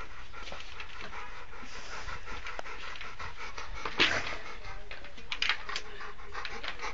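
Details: Rottweiler named Amadis de Gaula, a friendly, playful and affectionate dog, panting steadily in soft, breathy rasps through the whole stretch, with a few sharp clicks and knocks around the middle.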